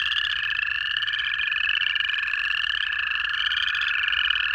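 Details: Native frogs in Georgia during January, a steady lower trill or drone held throughout beneath a dense layer of rapid, rising high peeps from many callers.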